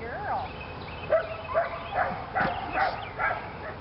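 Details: Lily, a female Belgian Malinois in PSA bite training, on the leg sleeves for the second time: short, high, excited yelping barks repeat about every half second, some with a whining edge, while a person talks over them.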